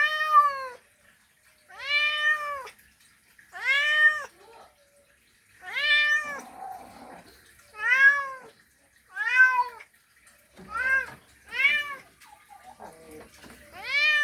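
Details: Mating call of a male cat calling a female: a series of eight loud, arched meows, each about a second long, repeated roughly every one and a half to two seconds, with faint rustling between calls.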